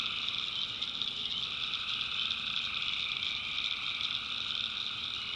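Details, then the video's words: Many tree frogs calling together at night in North Carolina backwoods, a steady, even wall of high-pitched trilling with no pauses and a quiet low background hum. "Relaxing Swamp Sounds at Night - Frog Heaven - Frogs"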